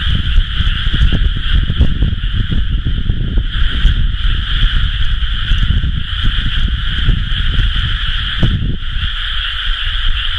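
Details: Massed frog calls from rice fields in rice-planting season, recorded 30 May 2011: constant, even trilling drone at two pitches, accompanied by persistent deep rumbling noise and a few brief clicks.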